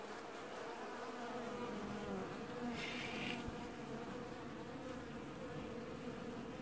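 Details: Many honey bees washboarding at their hive in early July 2019, the only colony in the apiary doing so; a dense continuous buzzing hum with a brief brighter hiss midway.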